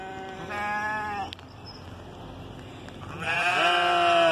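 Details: Sheep being talked to answers with a wavering bleat, falls quiet for about two seconds, then gives a louder, longer, harsher bleat.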